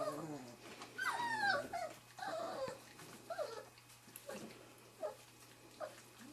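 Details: Wirehaired Pointing Griffon puppies about three and a half weeks old, from the 2013 "E" litter, meeting a quail and their first bird scent on Sunday, March 24; high, falling whines come in bursts, with soft shuffling between them.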